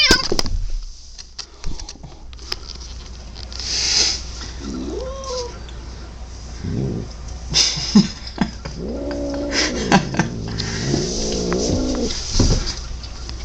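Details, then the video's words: Pet cat indoors giving several odd, wavering meow-like calls, some rising then falling, a few in quick succession near the end, with a steady low hum and camera noise underneath. "Cat makes weird noise?"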